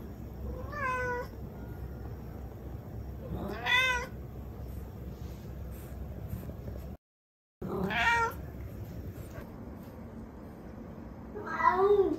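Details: Mu, a Turkish Angora cat and the most talkative of the household's fluffy cats, meowing: four separate rising-then-falling meows spaced a few seconds apart, the last one higher and squeakier, with a brief silent gap near the middle.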